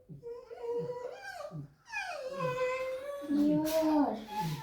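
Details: A just-woken pet red fox makes a creaking, complaining sound, described as protesting and not wanting to go outside: drawn-out, nasal, wavering squeaks that bend upward and break off, with a person's low voice faintly behind.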